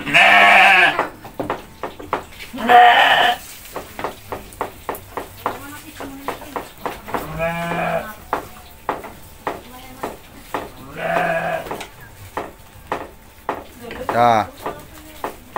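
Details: Goats bleating while being fed by hand: a strong bleat at the start, then short nasal bleats at about three, eight and eleven seconds, over steady clicking, clapping and Indonesian chatter.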